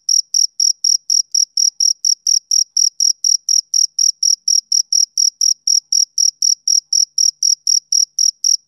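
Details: Male cricket chirping on a summer evening: short, high, clean chirps repeated steadily about four times a second, each with a fainter higher overtone, with no other sounds around them.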